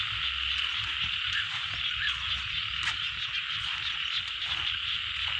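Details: Frogs calling in a rice field in Thailand: a dense, continuous high-pitched chorus of rapid trilling calls, with occasional brief louder clicks and low rumbling in the background.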